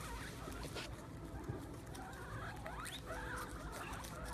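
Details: A group of guinea pigs squeals over a plate of sprouts set on the ground, eager for the treat. Short looping squeaks and wavering whistles rise out of dense rustling and chewing noise, strongest in the second half.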